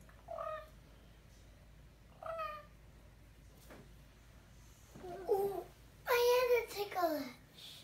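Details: Pet ring-tailed lemur calling in a small room as he wakes his siblings in the morning: two short tonal meow-like notes about two seconds apart, then a louder burst of overlapping wavering calls with bumps and knocks.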